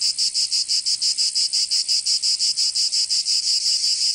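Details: Cicadas in Provence, southern France, during summer, producing an intense high buzz chopped into fast regular throbs, nearly three a second, with nothing else audible.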